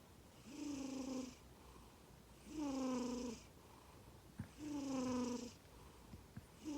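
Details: Snoring black-and-white male Norwegian Forest Cat named Komatsuna, born 18 April 2020: regular buzzy, droning snores about every two seconds, with soft breathing between and a couple of faint clicks.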